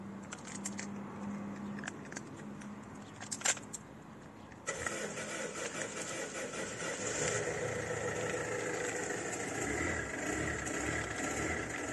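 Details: A few faint clicks and jangling sounds, then an engine starts and runs steadily with a broad roar; no animal sounds are heard.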